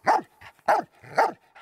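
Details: German Shepherd personal protection dog reacting, unprovoked, to two people standing close to it and its owner: three loud, harsh, deep barks about half a second apart, with softer huffing breaths between them.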